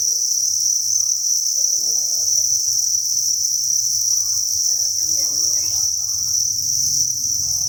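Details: Thousands of farmed crickets in a breeding facility produce a continuous high, shimmering trill at constant loudness, with faint low rumble and brief muffled sounds in the background.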